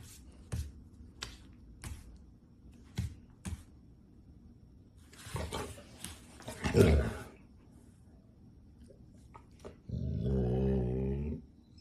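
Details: Golden Retriever being dramatic: scattered soft clicks and rustles, a short breathy huff, then a drawn-out, low, tonal groaning whine lasting over a second near the end.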